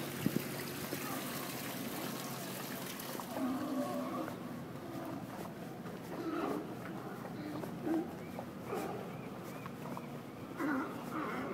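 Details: Several sea lions at Westport Harbor, Washington, bark and groan in a ragged chorus over lapping water.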